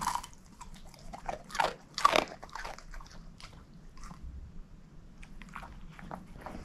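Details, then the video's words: Bone-crunching by Moose, a female shepherd mix dog: sharp crackling bites peak near the two-second mark, followed by scattered lighter gnawing clicks and faint mouth noises against a quiet background. "SHEPHERD EATING BONE ASMR"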